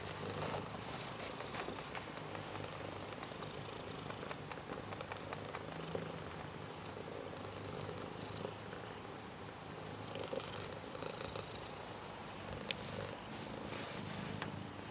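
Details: A British Shorthair cat welcoming and showing love to its grandad purrs steadily, a low, continuous rumbling that runs the whole time.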